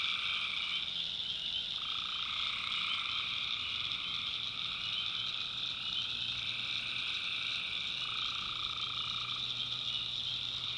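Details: Tree frogs calling at night in a swamp in the backwoods of North Carolina: a dense, unbroken chorus of high trilling with a steady upper band and a lower droning tone that drops out and returns at intervals.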